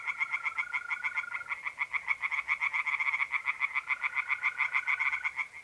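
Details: Tree frogs in an April night pond in north-east Italy croak without pause. The calls are a dense, regular rattle of pulses at about four per second. A continuous mole cricket trill runs underneath.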